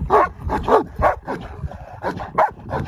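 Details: Dog. A big dog lets out loud, gruff barks, about three per second at first, then spaced with short pauses. Each bark is deep and throaty with a sharp onset.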